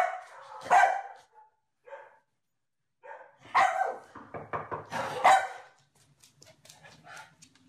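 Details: A shaggy dog that looks like a mop gives loud, sharp barks, then a quick run of shorter yapping barks and another strong bark, with quiet gaps between the bursts.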